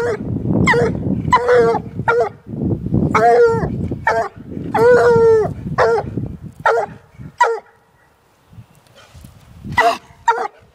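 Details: Young female Walker hound baying at a raccoon held in a cage; loud harmonic howling bawls in bursts with short gaps, low rumbling background noise under the calls and a quieter stretch near the end.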